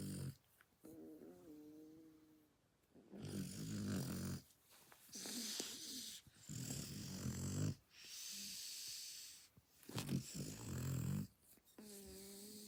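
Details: A sleeping Shar Pei dog snoring: long rasping breaths every few seconds, each a broad rough rumble with a low buzzy core, separated by short quiet gaps.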